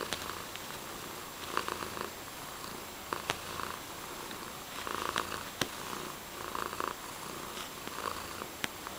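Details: A domestic cat named Mysli keeps up a pulsing purr, each breath swelling and fading, with scattered crisp ticks in the background.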